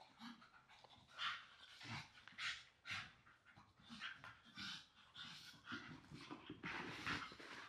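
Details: Young English Staffordshire Bull Terrier siblings wrestling and rolling on a soft blanket indoors; steady breathy panting bursts with scuffling and rustling of fabric, a few faint whimpers, and a person's voice briefly near the end.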